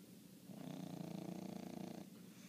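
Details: Bongo, a one-year-old pet dog, snoring loudly indoors: a rough, low, rasping purr-like rattle that swells for about a second and a half before fading, with a quiet room around it.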